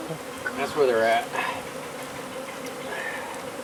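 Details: Honey bees from a hive removed from under a wood pile in McAllen, Texas: a continuous low buzzing hum, briefly overlaid by a human voice early on, then steady humming to the end.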